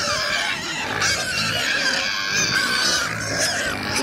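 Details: On a winter morning on a farm, pigs, including a new Duroc, give a steady run of rough, overlapping grunts and snorts with harsh, noisy edges as they wait for breakfast, close and loud throughout.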